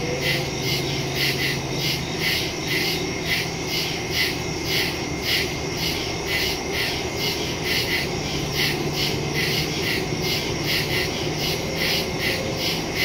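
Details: Nighttime woodland crickets, September 2, 2023, captured by phone with a stereo microphone: rhythmic bright chirps pulse without pause above a dense buzzing background, while a faint low drone hums underneath at times.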